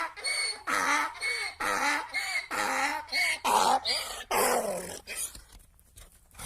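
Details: A donkey brays in a run of harsh, see-sawing hee-haws that fade to a wheeze.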